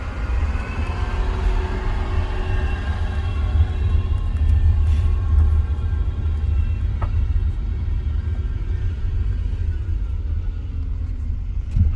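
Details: Continuous engine rumble from inside a moving car, with faint tonal hum above it.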